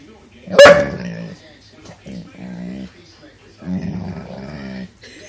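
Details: Cooper, a pet dog, gives one sharp loud bark, then a series of drawn-out, low, moaning vocal noises in two long bursts with a pause between. The room is otherwise quiet.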